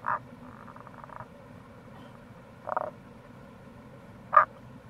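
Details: Tago's brown frog, Rana tagoi, near a gorge on the Kamo River, Itoshima, Fukuoka, in April: three throaty croaks spaced over five seconds, the last loudest, with a faint trill early on and steady water noise beneath.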